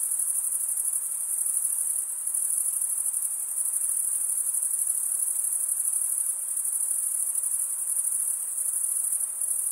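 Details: Crickets calling by stridulation, one wing scraped over the comb-like teeth of the other. A steady, high, shimmering trill carries on without pause, with gentle swells in intensity every couple of seconds.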